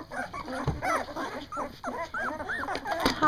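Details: Two-week-old Doberman puppies from a first litter, just finding their barks, give a string of rising-and-falling squeaky whines and short yips, several pups calling over one another, with brief gaps and a soft human voice.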